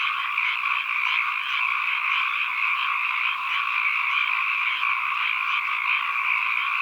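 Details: Many frogs croaking together as ambient sound, a thick continuous chorus with a steady pulsing shimmer in two layered pitch bands, evenly loud throughout and free of other noises.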